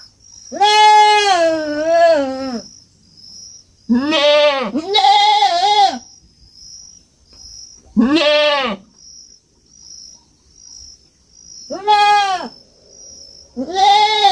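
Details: Young goat bleating on a farm: six loud, harmonic, quavering bleats, each roughly half a second to two seconds long, separated by short pauses, over a constant high-pitched insect whine.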